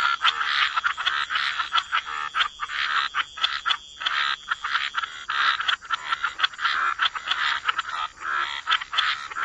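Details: Waterside frogs croaking together, harsh pulsed calls stacked in overlapping bursts with a brief lull near the middle, then steady rhythmic croaking resumes over a faint high background hum.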